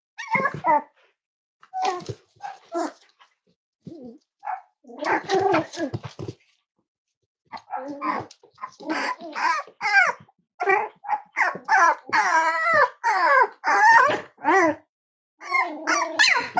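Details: Indoors at Red Barn Cavaliers, five-week-old Cavalier King Charles Spaniel puppies of Myra and Remy yip and whine in quick, wavering squeals that crowd together toward the end, with a person's voice mixed in.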